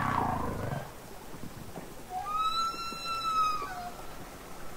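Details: Humpback whale singing underwater, Capitol Records ST-620 recording: a low groan at the start, then a long clear whistled tone rising slightly and falling away, rich in harmonics.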